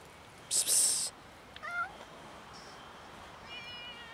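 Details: Street cats crowding in for food alongside a new kitten; a loud hiss-like burst, then a short two-part meow and a faint high mew.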